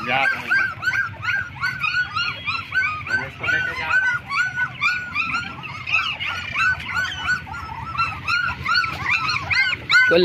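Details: Black German Shepherd puppies, twenty days old, whimpering and yipping continuously in a group, with many short arched cries overlapping throughout; a person speaks briefly at the start and end.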